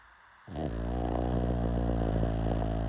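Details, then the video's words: After a brief quiet moment, a pug breaks into a steady, deep, fluttering snore that keeps rumbling to the end. "Pug Snoring"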